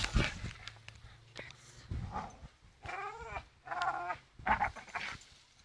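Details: Staffordshire Bull Terrier named Charlie swinging on a rope, giving short strained whines and growly harmonic cries in bursts about half a second apart, between thumps and rustling of the rope play.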